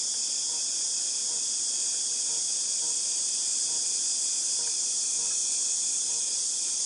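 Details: Continuous high, hissing buzz from cicadas, August 2018, holding an even level throughout, tinnitus-like, with weak rhythmic ticks in the lower background.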